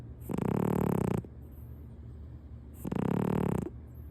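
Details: Domestic cat Punk sleeping comfortably on its owner's crossed-legged lap through a kotatsu quilt, snoring loudly: two long, low, rasping breaths with a buzzy harmonic rattle, about three seconds apart, with quiet pauses between.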